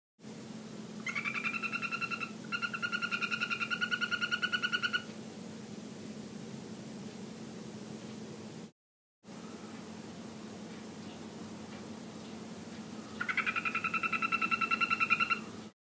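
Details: Golden poison frogs (Phyllobates terribilis, yellow form) calling in their terrarium give fast, buzzy trills lasting a few seconds over a steady low hum.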